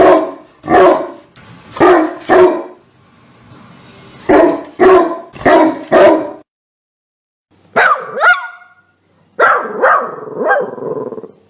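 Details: Dog barking in short bursts: two quick pairs of barks, a pause, then four sharp barks, followed by higher whining yelps with sliding tones near the end.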